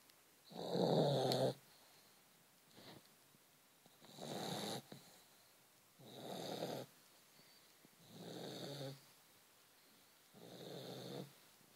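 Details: Vizsla dog snoring while asleep: five slow, rasping, breathy snores, each about a second long, repeating roughly every two seconds, with quiet pauses between them in a still indoor setting.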